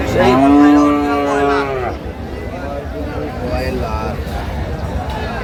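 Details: Sahiwal bull calf at a cattle market in Chattogram, Bangladesh, gives a loud drawn-out moo lasting nearly two seconds, falling slightly at the end, followed by crowd murmur and men bargaining over price.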